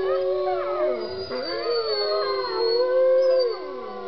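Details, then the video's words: Wolves in captivity at Bays Mountain Park, Kingsport, Tennessee, howling together: several overlapping drawn-out voices with rich harmonics, one sliding down then climbing again while others hold steady, wavering tones. "Howling Wolves at Bays Mountain Park in Kingsport, Tennessee"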